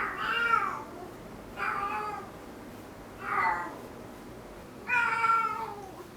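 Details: Cat with hind-leg paralysis making an unusual sound, especially often after waking from sleep: four drawn-out, wavering, nasal meows about every one and a half seconds, each bending in pitch, in a quiet room.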